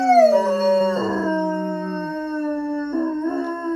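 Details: Miller's howl over his dropped toy starts high, slides down to a lower held tone, then rises back and continues as a steady, drawn-out, tonal wail with brief rough patches.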